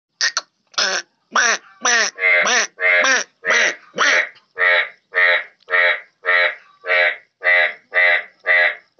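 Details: Yellow bullfrog in Pakistan calling with a steady series of loud, nasal, buzzy croaks, nearly two per second. The early notes are raspier and more sweeping, and the later ones are evenly spaced and uniform.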